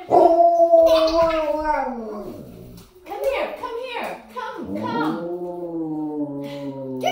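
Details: Alaskan Malamutes howl together, set off by a person making music through a hollow foam pipe: one dog starts, her mother answers, then a third joins. Long, sliding howls fall in pitch and overlap, with brief breaks and a human voice mixed in.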